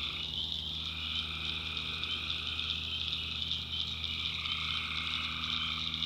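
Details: Tree frogs calling at night in a North Carolina backwoods swamp, recorded by the maker: a dense, unbroken chorus with a shrill high drone and a lower steady trilling band, plus a faint low hum underneath.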